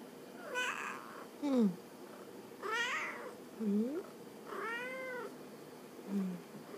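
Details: Talking Munchkin cat indoors in Oita Prefecture, Japan, meowing in reply after its owner asks it to talk. Several drawn-out, arching meows come every second or two, with a woman's soft voice between them.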